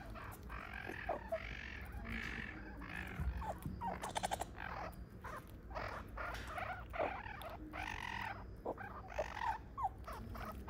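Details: A zoo meerkat mob in a small mammal house, with parents, an aunt and young pups, gives a busy chorus of short, harsh squeaks and chirps that overlap in quick succession.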